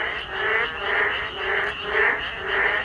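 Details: On a rainy day, many frogs call at once, croaks blending into a continuous buzzing drone that surges about twice a second, with a low and a higher tone layered together.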